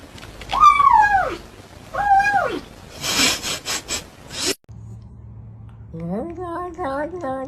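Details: Domestic cat making funny sounds: two short descending meows, a burst of scratchy noise, then a quieter run of rapid, rising, stuttering calls.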